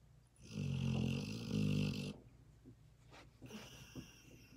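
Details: A female German Shorthaired Pointer deeply asleep gives two loud, low, vibrating snores back to back over about a second and a half, then quieter breathing and faint clicks.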